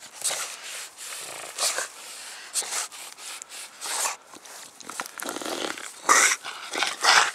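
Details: Dog panting indoors: breathy, hissing bursts of breath roughly once a second, uneven in spacing, growing louder and harsher toward the end, with no barking.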